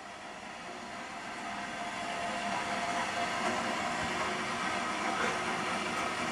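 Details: A broad, steady rumbling hiss, like a moving vehicle, grows slightly louder, with no animal calls.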